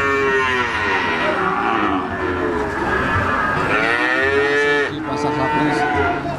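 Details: At the Siyono animal market in Gunung Kidul, Yogyakarta, Java-bred Peranakan Ongole young cattle low in drawn-out harmonic moos. Two long calls bend upward and then sag, over a constant crowd murmur.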